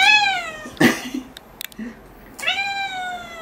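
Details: House cat Luna, described as talkative, mews during claw trimming at home: a falling meow opens, then clicks and brief rustles, then a second drawn-out meow that slowly descends.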